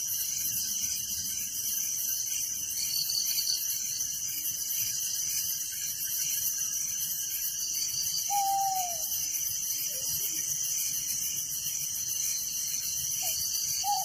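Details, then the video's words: Village crickets at night keep up an unbroken, high, rhythmically pulsing chirping chorus; a faint falling whistle appears near eight seconds and another brief note near the end. "Relaxing Night Crickets Sound in Village"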